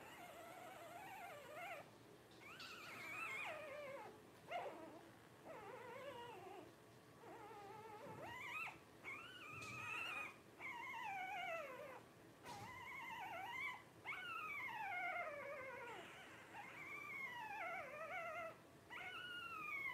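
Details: Litter of five Blenheim Cavalier King Charles Spaniel puppies aged twelve days, born at New Year 2023 to Paris and Spike, squealing indoors in repeated rising-then-falling cries every second or two, many overlapping.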